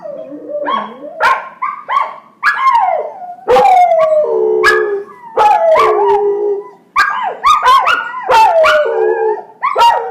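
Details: Two puppy brothers, Jagger and his younger brother Sasha, learning to howl together: a dense run of overlapping yelps, quavering wails and short rising-falling howls with brief yips between.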